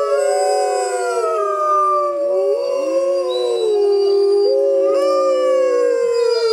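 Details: Grey wolves in the wild, howling together in a jungle at full moon, several long overlapping tones that waver, dip and swoop upward again, forming an unbroken chorus.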